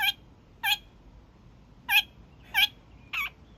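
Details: Kakariki, young male, honking in the evening as he does daily: five loud, abrupt nasal honks spaced unevenly, the last one shorter and more strained.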